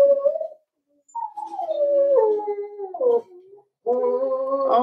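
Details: Cavalier King Charles Spaniel puppies, four weeks old, whine in an indoor pen during socialising with older dogs; long, wavering, falling whimpers with rich overtones, separated by brief silences, ending in a steadier sustained cry.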